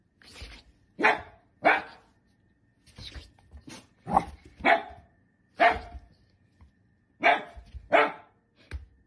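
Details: Dachshund indoors giving sharp, broadband barks, singly and in quick pairs, about eleven over nine seconds with short silent gaps between bursts.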